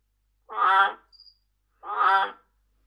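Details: An Amazon milk frog (Trachycephalus resinifictrix), a tree-hole frog, calls with two loud, resonant honking croaks about a second apart.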